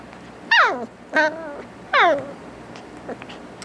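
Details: A Corgi puppy playing with his favourite toy gives three high, harmonic whines, each sliding steeply downward in pitch.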